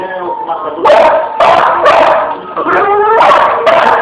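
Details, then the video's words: A Pit Bull playing with a fan, whining between loud, harsh barks repeated roughly every half second, indoors and close to the microphone. "Pitbull Vs Ventilador"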